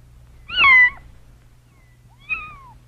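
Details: A kitten gives two thin meows, the first loud and wavering, the second quieter and drooping downward, over a faint steady low hum.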